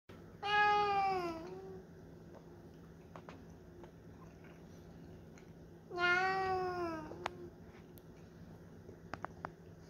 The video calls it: Jake the Maine Coon meows